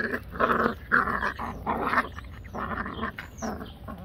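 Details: Yellow Labrador Retriever playing indoors with four-week-old puppies: rough, throaty growling grunts in quick bursts, about five or six across four seconds, in a small room.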